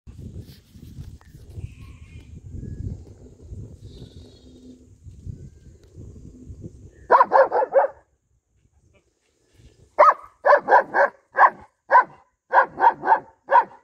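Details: Male German Shepherd, 11 months old, in Ramanagara, barking: after seven seconds of low rumbling background comes a quick burst of three barks, a pause, then a run of about eleven sharp, evenly spaced barks.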